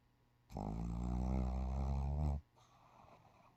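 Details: Shih Tzu asleep and sprawled out, snoring: one long, low, droning snore lasting about two seconds with a buzzy rumble, followed by a fainter breath and a quiet room.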